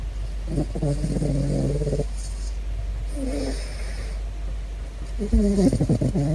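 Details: Big Floppa, a caracal, curious about a balloon, gives low, rough, harmonic growling vocalizations: a sustained bout of about a second and a half, a brief murmur, then a louder wavering burst near the end, over a steady background hum.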